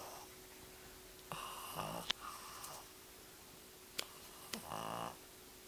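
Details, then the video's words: Pug named Emily, born November 2008, snoring while asleep indoors: raspy rattling breaths in two main bouts with a snuffly buzzing inhale near the end, plus a few sharp clicks. "my pug sleeping and snoring!"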